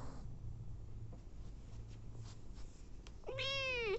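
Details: Nursing mother cat feeding hungry abandoned kittens; after several seconds of quiet low hum and faint rustling, one short, loud meow bends upward then slides down at the very end.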